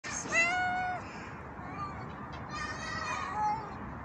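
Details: A homeless stray tabby cat up a tree gives a loud, drawn-out meow, then softer, wavering meows.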